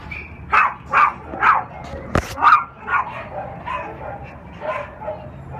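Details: Black and tan male Cairn Terrier and Lhasa Apso mix, three years old, in the shelter at OC Animal Care, giving repeated high yappy barks about twice a second, one loud clank midway, barks fading softer toward the end.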